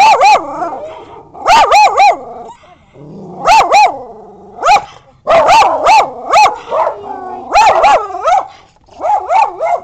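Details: Domestic dogs, bichons together with a wire-haired dachshund, barking in quick bursts of three or four sharp, yapping barks, the bursts spaced roughly two seconds apart with short quiet gaps between them.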